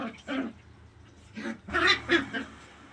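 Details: Puppies playing, running and jumping in a tight area give short high yapping barks in four quick bursts over three seconds, the last three close together. A low steady hum runs underneath.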